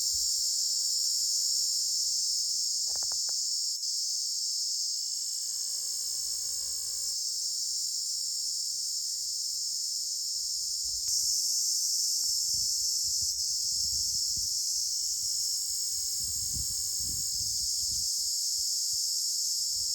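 A cricket gives a steady, high-pitched chirring that runs on without a break. Soft low thumps and rustling sound underneath at times.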